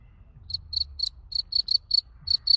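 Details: Cricket found on a garden plot in summer, giving short high-pitched trilled chirps in irregular bursts, about nine pulses over the span, over a low background rumble.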